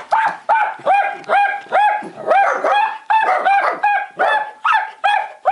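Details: Miniature black-and-tan dachshund barking at a window cleaner, joined by a longhaired dachshund; sharp, ringing barks repeated about twice a second in a steady run, each bark with a brief rising onset and clear tonal ring.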